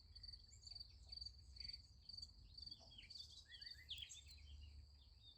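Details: At night beside a sunflower field, crickets give high chirps in quick pulsed groups, about two a second. Faint other calls flicker in and out, with a low rumble underneath.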